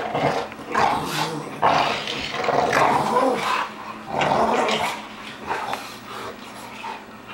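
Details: Two dogs, a two-year-old Pug and an eight-month-old Pit Bull that live together, play-fighting at home; rough growls and snarls come in bursts, with a person's voice nearby.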